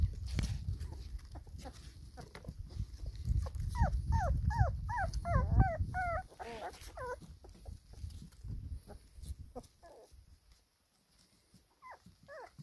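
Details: Four-week-old black pedigree Labrador Retriever pups feeding alongside their mother in the sunshine: rapid series of high, bent squeaky whines, several per second, over low rumbling handling noise, fading to scattered squeals near the end.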